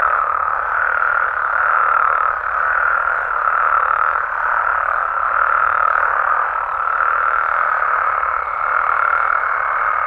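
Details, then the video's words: Nighttime amphibian chorus from Mexico, frogs and toads in their natural surroundings, forming a continuous buzzing wall of overlapping croaks that pulses softly about every two seconds. "Mexican Frogs & Toads Sounds"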